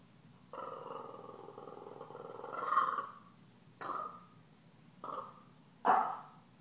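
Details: Stella, a puppy taunted by the deaf cat Gomez, gives a long, steady, buzzy growl rising into a louder peak, then three short, punchy barks spaced about a second apart.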